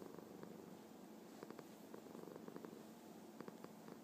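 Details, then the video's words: Happy house cat purring steadily, a dense low vibrating hum with quick regular pulses and small ticking sounds scattered on top. "Kitty Happy Purr Meow Meow"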